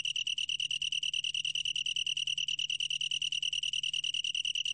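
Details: Continuous shrill trill of a long-tailed tree cricket, evenly pulsed at roughly ten beats per second with no pauses, a faint low hum in the background; from a 2020 National Institute of Biological Resources recording.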